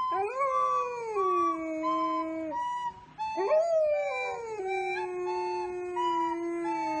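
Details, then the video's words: Golden Retriever singing along to the tunes of a recorder: long, smooth, tonal howls that rise then slowly fall and level off, with a brief dip in the middle before a second sustained wavering howl. Faint steady high tones run alongside. "Golden retriever singing!"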